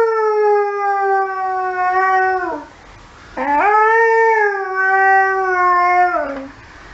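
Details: Saluki howling at emergency services sirens: two long, steady, tonal howls. Each holds a nearly level pitch for about two seconds, then slides downward at its end, with a brief quiet gap between them.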